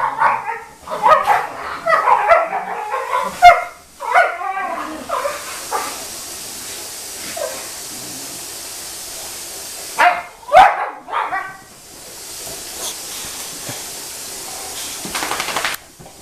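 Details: Bailey, a Boxer, pesters his older sister Scarlett: a dense run of harmonic barks and whiny yelps over the first five seconds, a quiet stretch, then two more sharp barks near ten seconds, with low background hiss throughout.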